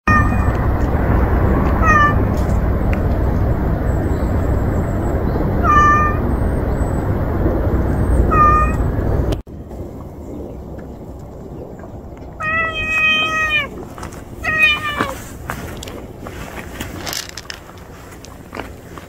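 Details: Stray cats, a mother and her kittens, living in a pile of trash: short high mews through heavy low rumbling traffic-like noise, then after a sudden quieting a run of clearer wavering meows with faint background clicks.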